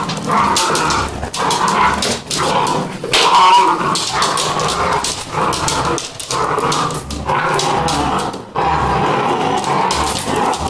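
Vizsla puppies growl and whine in rough, continuous bursts broken by brief pauses.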